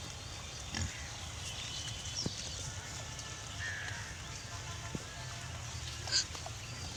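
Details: Pigs roaming an open field, with low, rumbling grunts murmuring steadily beneath a few sharp clicks, a short mid-pitched chirp near the middle and a brief high squeak toward the end, set against a constant outdoor hiss.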